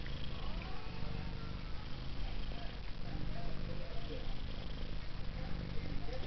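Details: Pet cat Taffy, a female said to purr like a helicopter, sustains a long low pulsing purr while a person talks softly over it; a sharp sound closes the stretch.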